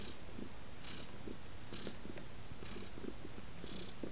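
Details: Male house cat curled up on a lap, purring in a continuous deep rumble with soft breathy pulses, set against faint rustles in a quiet room.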